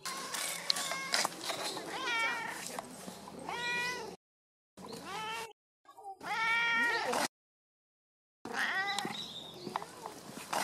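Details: Domestic cat crying in a cute voice: a run of high, wavering meows with rich harmonic stacks, some rising then falling, several drawn-out cries in quick succession, separated by brief silent cuts.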